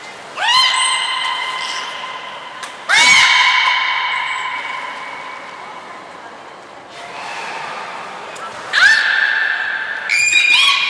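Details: Training session with belugas Nico and Mirai at Port of Nagoya Public Aquarium, Japan, 29 February 2020: five sustained, reedy, harmonic calls, some held for several seconds, each starting with a sudden upward-swept onset, echoing indoors.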